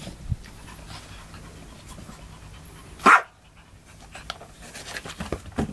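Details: Chihuahua named Cheese barking at Ohagi, a cat sitting inside a box; a single sharp, loud bark bursts out midway through quiet indoor room sound, with faint snuffling and small clicks before and after.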